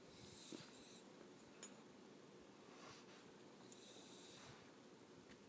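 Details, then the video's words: Asleep indoors, the puppy Bogart, only 14 weeks old, gives two hissing, wheezy snores about three seconds apart against a quiet background hum. "Bogart snoring"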